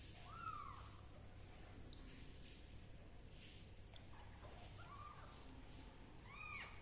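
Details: Kitten undergoing fungus treatment with leaf juice mews repeatedly: one arched meow at the start, then three short, high mews close together near the end, over low indoor background noise.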